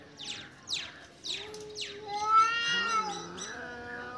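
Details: Cat with a freshly caught mouse: a few sharp knocking sounds, then long, warbling, tonal yowls that dip and rise in pitch over several seconds.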